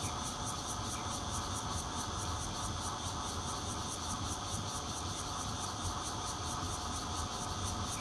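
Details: Zhongli City chorus of bear cicadas with red-veined cicadas mixed in, taped from a fourth-floor home on 16 June 2013 with a Nokia Lumia 820 phone: harsh unbroken drone carrying evenly spaced shrill pulses, about four each second, above low rumble.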